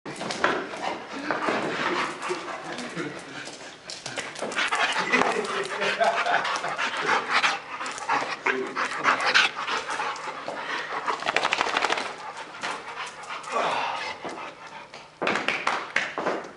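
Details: Blackjack, a roughly one-year-old Boxer mix at the Central Nebraska Humane Society, who arrived lost and hungry and loves to play and run; rapid, breathy, noisy panting bursts continue throughout, with human voices talking in the background.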